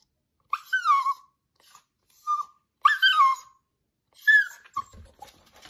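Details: Four-year-old male Cavalier King Charles Spaniel waiting for dinner, making bird-like calls: high, thin, falling whistled whines in short bursts, four main calls over about five seconds, with faint clicks at the end.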